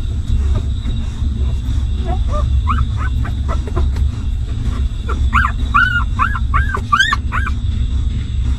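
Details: Hungry newborn puppies nursing from their stray mother give short upswept whimpers, scattered at first and then a rapid run of about ten squeaky yelps, over a constant low hum.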